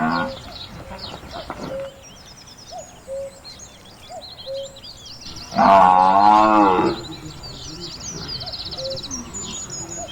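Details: Buffalo from a countryside farm lowing once, a loud, wavering moo of just over a second, set among repeated soft two-note hoots and thin, high birdsong.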